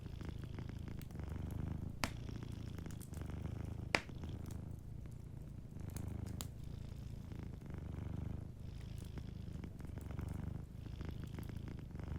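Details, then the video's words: A sleeping cat purring softly indoors: a steady low rumble that swells and fades with each breath, in cycles of roughly two seconds, with a few sharp fireplace crackles and pops. "Warm Fireplace Ambience with a Sleeping Cat 🐱💤Fireplace & Soft Purring"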